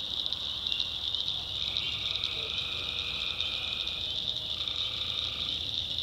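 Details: Swamp tree frogs at night in the North Carolina backwoods: continuous high-pitched chorus, with two lower buzzy trills, the first lasting nearly three seconds and the second about one second.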